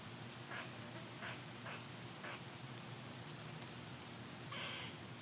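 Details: Squirrel scolding from a windy tree, bothered by being recorded: four abrupt, harsh chucks spaced irregularly, a pause, then one longer buzzy rasp, all over a continuous wind hiss.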